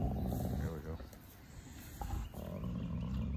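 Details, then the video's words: Wolfdog growling as part of mouth-based communication; deep, rough, buzzing growl with dense low harmonics, breaking off mid-way where a person speaks, then resuming steadily. "Wolf Dogs Growling Mouthing Biting Snarling Showing Teeth"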